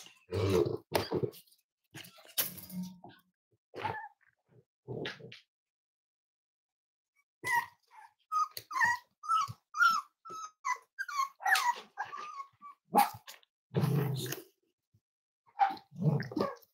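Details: Five-week-old Cavalier King Charles Spaniel puppies from Myra and Remy's litter at Red Barn Cavaliers, indoors during weight checks on a chilly Thursday morning: a run of short, high, tonal whimpers in quick succession midway, with thumps and handling noise before and after.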